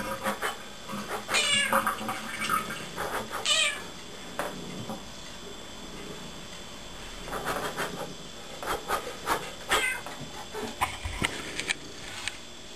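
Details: Elderly pet cat meowing in reply whenever her owner makes a blowing noise; a few short rising-then-falling meows among steady background hiss and faint household noise.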